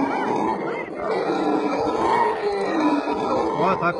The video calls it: Howler monkeys calling